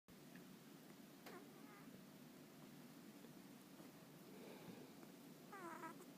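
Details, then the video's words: Sleeping domestic cat making a whistling 'pi-pi' noise as it breathes: a brief thin whistled squeak early on, then a brighter, wavering whistle near the end, over steady low room hiss. "寝息をたてて寝る猫 cat to make a zizzing sound"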